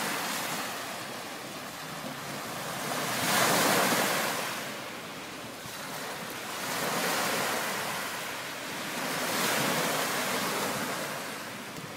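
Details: Ocean waves surge and recede in slow swells beneath constant wind noise.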